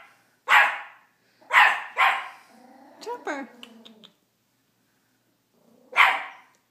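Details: Male teacup Miniature Pinscher barking at his own reflection: a sharp bark, then two quick barks, a softer stretch of rising, whining yelps, a pause, and one last loud bark.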